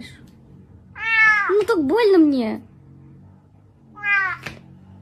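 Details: Kitten or cat indoors uttering a wavering, bending meow that dips and rises, then a shorter second meow a couple of seconds later, over a low room hum.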